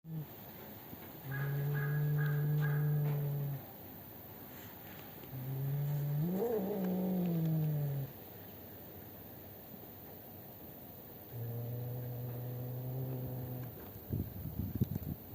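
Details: Black-and-white cat fighting with another cat outside a home, recorded 12 December 2025: three long, low, drawn-out yowls of two to three seconds each, the middle one wavering up and down, ending with a brief clatter.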